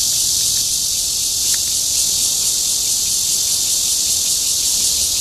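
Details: In Guangming Park, Zhongli, a red-veined cicada courts with a dense, continuous shrill buzz at constant loudness and no pauses.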